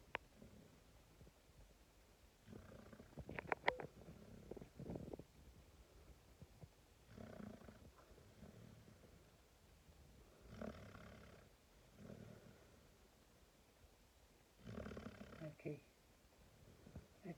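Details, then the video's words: Five-month-old Boxer puppy asleep in a person's arms after a long play with other dogs at a local park, snoring in soft rumbling breaths that swell and fade at about four-second intervals, with quiet room noise between breaths. "Boxer puppy sleeping & snoring after long walk"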